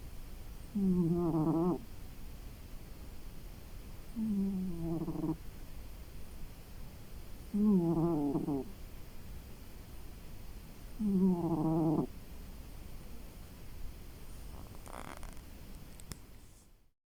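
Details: Maki the house cat, resting after a long day, snores steadily: four low, droning, harmonic snores roughly every three and a half seconds, then a faint click and silence at the end.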